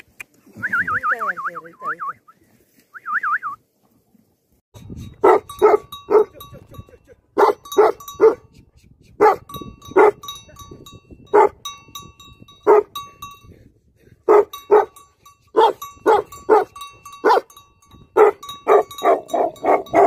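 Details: Livestock guardian dogs barking: after a few opening seconds of high whistled, wavering calls and a pause, sharp barks arrive in quick clusters of two or three, repeating steadily over a faint constant tone.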